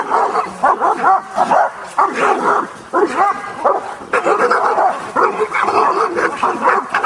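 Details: Kuvasz, possibly the dog Jászszépe Hűség, at a Hungarian breed show with beauty judging, working trial and attack test: loud, harmonic barks in rapid bursts, several per second, with short pauses between volleys and faint crowd noise behind.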